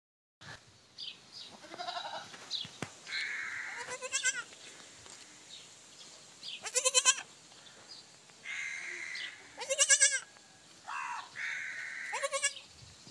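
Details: Goat kids bleating in a lively scene: several loud, wavering, pulsing bleats around four, seven, ten and twelve seconds, with thinner higher cries and chatter between them.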